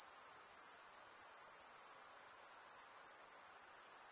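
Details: Night insects calling in a steady, dense high-pitched trill that holds unbroken at one very high pitch, with a faint soft hiss of background noise below and no other animals or voices.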